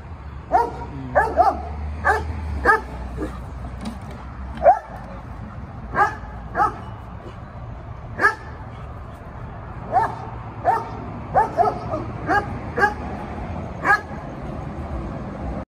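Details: An 11-month-old German Shepherd puppy patrols a house, giving short sharp barks in irregular bursts of one to three, spaced a second or two apart, over a quiet indoor background.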